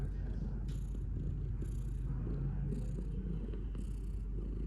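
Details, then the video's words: Low rumbling purr of a domestic cat, steady and vibrating, rising and falling in rhythm with its breathing, with faint soft noises above. "Cat purring"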